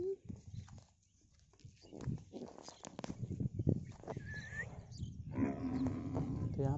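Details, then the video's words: Water buffalo in the kachhar floodplain farmland of Prayagraj (Allahabad), calling to its herd heading home as if asking them to wait, then running after them; low drawn-out moaning calls at the start and near the end, with hoof noise and a man talking. "यहाँ पर देख रहे हैं सब भागते हुए जा रहे हैं अपने अपने घर को, और ये वाली जो भैंस है ये बुला रही है इस वाले झुंड को, बोल रही है रुक जाओ मैं भी आ रहा हूँ, देखो कैसे दौड़ रही है बेचारी।"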